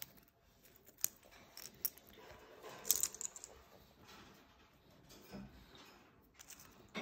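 Only sharp clicks, cracks and soft rustling are heard, like shells being cracked nearby, with no animal calls.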